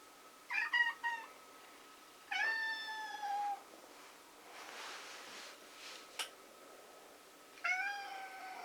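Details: Black kitten, a foundling spending its last relaxed time before adoption on 16 November 2017, gives three clear meows indoors: a short doubled mew, a longer falling meow, then another after a pause with a soft rustle and click between.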